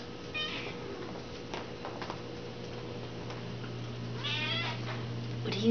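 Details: Kitten meowing twice, a short high meow near the start and a longer wavering one later, each with a clear stack of harmonics, over a steady low electrical hum and soft room noise.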